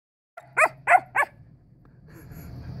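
A Siberian Husky puppy gives three quick, wavering, high yips, frustrated that another dog won't play.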